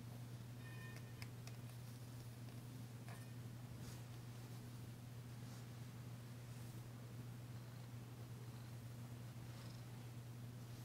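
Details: Danci, a female domestic cat, purring while being massaged indoors, still tentative but enjoying it, her first purr since arriving; a steady low hum-like drone runs throughout with faint soft rustles and a few brief clicks.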